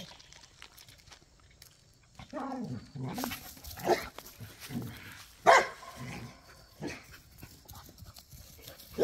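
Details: Pit bulls and a Malinois at play in a back yard; low growls and snarls after a quiet start, then sharp short barks near the middle, with scuffling and rustling between.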